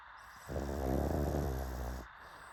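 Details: Pug snoring: one long, low, rattling snore lasting about a second and a half, a steady rumbling buzz in the low range, with quiet background before and after.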